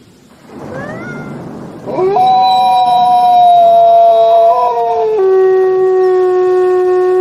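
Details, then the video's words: A female gray wolf at the Wolf Conservation Center in South Salem, New York, gives a long, steady howl that holds its pitch, then drops to a lower tone. "A female wolf howls at the Wolf Conservation Center in South Salem, NY"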